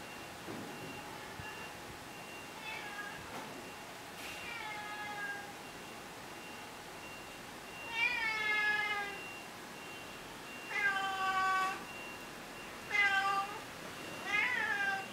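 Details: Tabby cat, a male stray that seems to know the person and wants food, meowing repeatedly; clear rising-falling meows, some drawn out, coming every one to two seconds, with a steady faint hum underneath.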